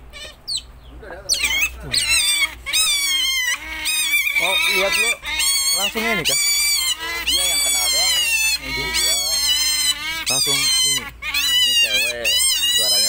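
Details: Captive pet otters squealing almost nonstop: dense overlapping shrill whines and wavering cries that rise and fall, packed closely with barely any pause.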